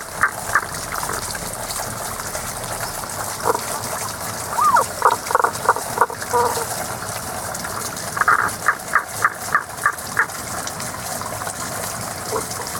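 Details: Hidden frog giving its seasonal mid-to-high song outdoors: quick trains of sharp, repeated pulses, one near the start and a longer, faster series later, with running water hissing throughout.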